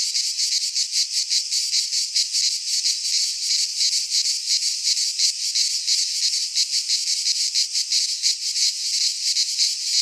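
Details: A long stretch of midsummer cicada song from a pine forest in Greece: a loud, high, sizzling drone, rhythmically throbbing about three times a second, steady from start to finish with no other sounds.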